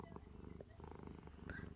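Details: Calico house cat Angttu, sleepy and settling into a blanket, purrs in a low, steady, pulsing rumble with quick even beats, close to the microphone, a soft click near the end.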